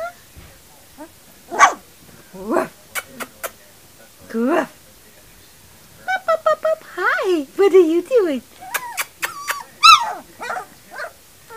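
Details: Three-week-old puppies giving short, high yips and thin whines, some rising then falling, in scattered bursts, mixed with a person's coaxing voice calling them to come.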